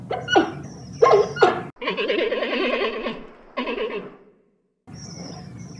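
Giant panda giving sharp yelps, then a long wavering bleat and a shorter one.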